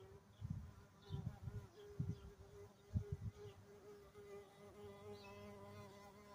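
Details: A carpenter bee buried inside a large dragon fruit flower gives a steady, low droning buzz with a strong hum and pulsing low-frequency bursts.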